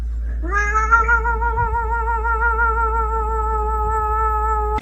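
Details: Domestic cat giving one long, steady, drawn-out meow of about four seconds, slightly wavering in pitch, with a low hum underneath.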